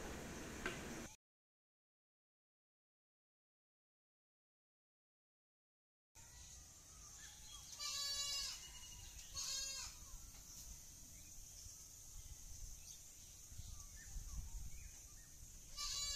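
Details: Black Bengal goats at a goat farm in the morning, gathered where food is given and waiting to be fed. After a silent gap come several short, harmonic, nasal bleats in quick bursts, with farmyard background noise.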